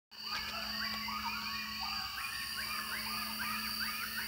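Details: Coyotes heard at close range in Wilkes County, North Carolina, within throwing distance of home: quick rising-and-falling yips repeat in a rapid overlapping series over a steady high insect drone and a low constant hum.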